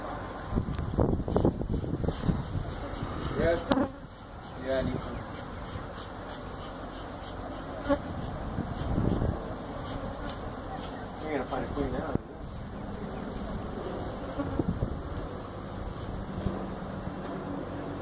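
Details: Feral honey bee colony that built its hive inside a tractor tire, in a tire stack at a citrus orchard in Mission, Texas, disturbed during hive removal; a dense, low droning hum with a steadier tone later, broken by thumps and handling noises.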